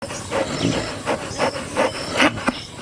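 A donkey brays in a rough, rhythmic series of harsh, wheezy pulses, about two each second.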